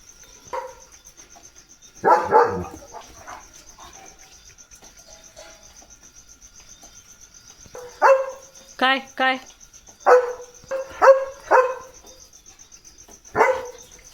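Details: German Shepherd Leo barks repeatedly in short bursts, quiet gaps between them, then a quicker run of barks, some with a tonal whining edge, as rain arrives; a continuous high insect trill carries on behind.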